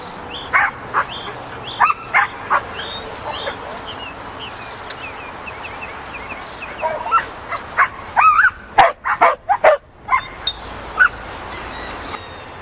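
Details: Bouvier des Flandres herding dog at work herding outdoors: a run of sharp, high barks and yips, irregular, several per second at times, with a steady low background hum throughout.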